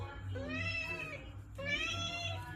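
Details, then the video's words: Khao Manee cat meowing indoors about cat food: two drawn-out, harmonic-rich meows, the first rising then falling, the second starting abruptly after a short pause, over a low household hum and faint voices. "he talks alot when it comes to catfood."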